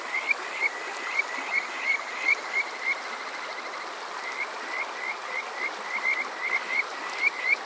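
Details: Summer night Kajika frog calls from Yokoze, Saitama, Japan; clear high upswept chirps in loose series of three or four, pausing briefly between runs, backed by a constant stream rush.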